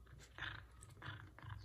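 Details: Male F2 Savannah cat meowing in the morning, eager for leftover chicken from the night before; three short, harmonic, somewhat nasal cries in quick succession, a constant low hum behind them.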